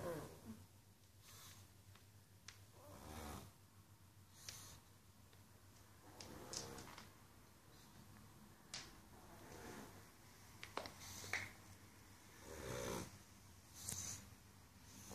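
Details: Pug asleep indoors after a party, snoring in quiet, breathy snorts and wheezes that come in uneven bursts every one to two seconds, with short louder snorts between softer rasping breaths in a small, still room.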